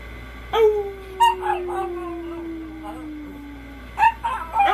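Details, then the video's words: Miniature pinscher howling along with its owner: one long drawn-out howl slides slowly downward for about three seconds, a fainter higher voice runs above it, then short yelping notes and brief bursts follow. "Min pin howling with his human"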